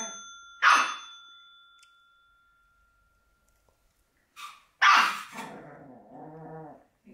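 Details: Black Shih Tzu puppy responding to a bell: one loud yap as the bell rings and hums away, silence, then two more yaps and a short whiny, tonal growl.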